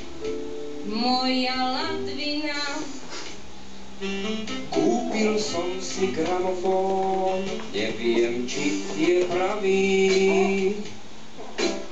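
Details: A song with female singing over guitar and synth accompaniment plays throughout, with no dog or other animal sounds audible.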